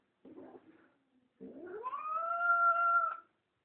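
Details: Toto, a female pet cat, wailing indoors because she wants to go outside: a short low grumble, then a long drawn-out yowl that rises and holds steady for about two seconds before cutting off.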